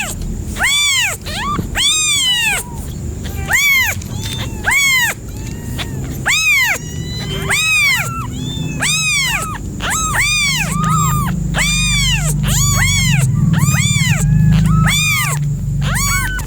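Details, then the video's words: Cat calls: a loud series of short, rising-falling harmonic yelps, about one per second, over a constant low rumble and a steady high tone. "FUNNY CAT SOUNDS"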